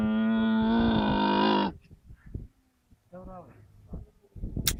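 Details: Camel giving a long, loud harmonic bawl that holds a steady low pitch for nearly two seconds and then cuts off, followed by quieter, shorter grumbling calls and scattered background noise.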